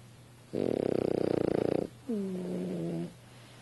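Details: French Bulldog snoring while asleep on a couch indoors: one long rough, rapidly pulsed snore, followed by a shorter, smoother tonal breath with a slight falling pitch.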